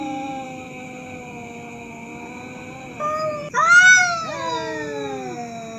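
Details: At night, fighting cats give a low, sustained moaning growl, then one breaks into a sudden loud rising screech that slides back down into a yowl, with a steady high whine behind.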